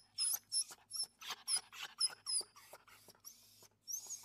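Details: Street dog with her mother, giving thin high squeaky whines in quick short bursts, about two to three per second, with brief breathy gaps and a final drawn-out squeal.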